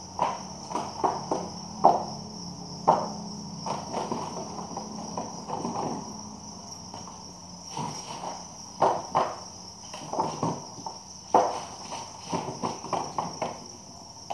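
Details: Crickets at a cricket farm where villagers bring farm-raised crickets to sell: a steady, high, shrill massed trilling runs unbroken throughout, overlaid by frequent sharp clattering knocks and handling noises.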